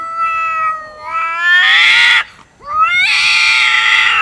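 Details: Domestic cats fighting over food: loud sustained caterwauling, a long rising wail that swells into a strained scream, a brief break, then another long harsh yowl.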